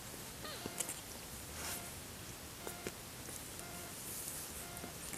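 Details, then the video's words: Five-day-old kitten, born 31 August 2014, giving a faint, brief rising-and-falling mew near the start, then soft clicks and rustling over a quiet, steady background hum. "生後５日目 アクビやくしゃみやミュウミュウ"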